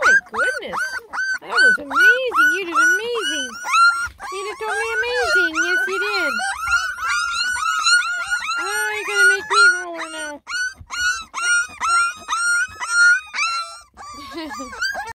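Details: A litter of ten lemon and tricolor Beagle puppies complains loudly on first trying food: rapid, dense, high whining and yipping, each cry bowed and squeaky, while a person's voice murmurs beneath in a small room.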